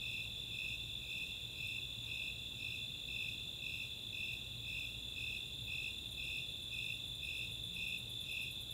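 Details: Summer nighttime chorus at Chautauqua open space in Boulder, Colorado: Snowy Tree Crickets give evenly spaced high chirps, roughly two per second, over the continuous trill of Four-spotted Tree Crickets; quick Greater Angle-wing Katydid ticks enter near the end.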